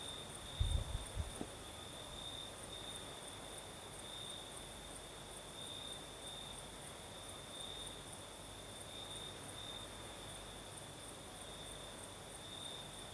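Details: In the Crimean south at night, crickets keep up an unbroken high trill that pulses slightly in strength, with a faint upper band; a brief low thump of breeze early on, then steady calm.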